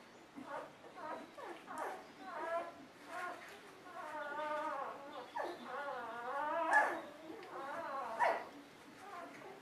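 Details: Golden Retriever puppies in a litter, watched on a puppy cam, whining with long wavering harmonic cries that rise and fall, several overlapping, mixed with short yelps and a few soft grunts.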